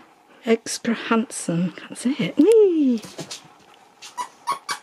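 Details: Nook, a male Husky, talking indoors at his Easter egg before playing with and eating it: a few short whiny yowls, then a long arching howl that rises and falls, ending in soft, clipped yips.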